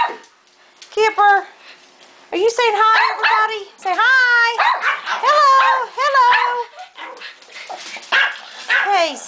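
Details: Pet dogs including Zoe, Kipper, Zeppelin and Salmon the Chihuahua yap and yip in overlapping bursts, some notes drawn out into wavering whines, as a person greets each by name over the chorus.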